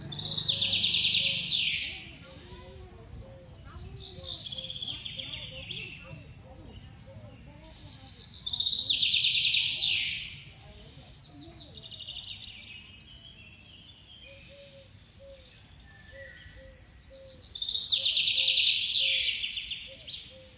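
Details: Baby squirrel being hand-fed as a pet in India: bursts of shrill, high squeaking chirps come in waves every few seconds, swelling loud then fading. Softer chittering continues between bursts, with low background hum.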